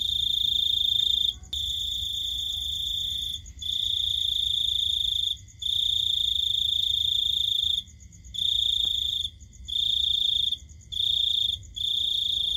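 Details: A cricket trilling in the night, a bright ringing tone held in bursts of varying length, some long and some short, with quick silent breaks and faint low-frequency noise beneath.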